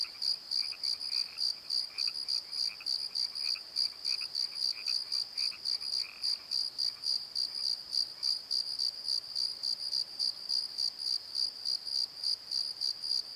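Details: Crickets at night in a valley bottom, shrill pulsed chirps repeating roughly three per second without pause, while a quieter lower chirping caller fades out after the first half.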